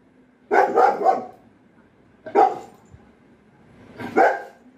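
A German Shepherd gives deep, rough barks, the first a quick double, then two single barks.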